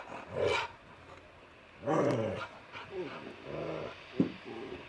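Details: Shira and Enzo, a puppy and a grown dog romping in a yard, trade rough play sounds: growly, breathy barks in two bursts, followed by softer grumbling vocalisations and a sharp click.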